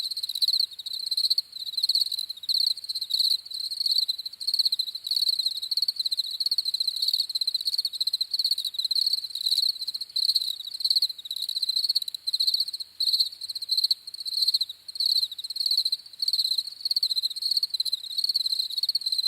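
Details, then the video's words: Crickets chirping in a steady, dense chorus of high, rapid pulsed trills, the bursts repeating several times a second with short gaps between them, and a fainter shimmer higher above; no other animals, voices or background noise are heard. "CRICKETS CHIRPING SOUNDS"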